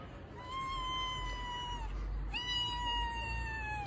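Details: Domestic cat giving two long, drawn-out meows, each steady and slightly falling at the end, with rich harmonic overtones; a brief pause separates them over a low background rumble.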